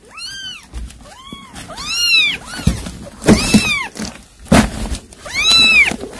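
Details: Cat summoning kittens to a mouse it caught: loud, clear arched meows, one at a time then overlapping, mixed with dull thuds and bumps of movement nearby.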